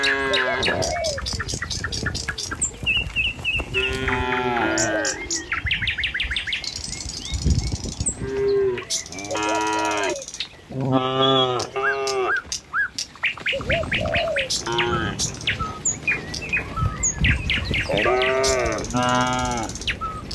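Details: Tame cattle herd walking along a village road in the morning toward their pen, with many overlapping harmonic moos, some long and level, others short and bending, plus bird chirps, hoof steps and a steady high hiss.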